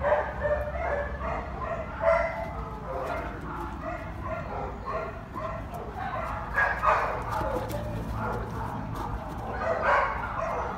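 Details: A male Bloodhound foster dog gives deep, drawn-out barks with a rich, resonant tone.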